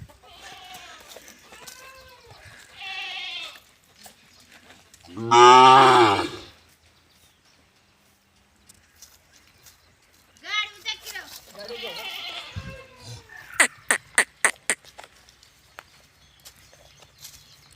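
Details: Khillar cattle, the kajali Khillar type from Maharashtra, give one loud, deep, harmonic bellow of about a second and a half mid-clip. Men's voices murmur before and after, with a run of sharp clicks near the end.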